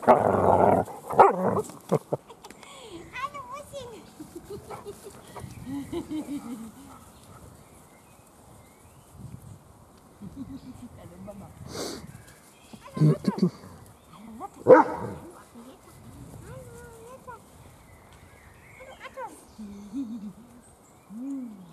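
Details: Weimaraner puppies from one litter at feeding and play time, recovering from canine juvenile cellulitis and always hungry: a loud burst of yelps, then scattered high, wavering whines and squeals, some rising and falling, amid shuffling noises and a few human words.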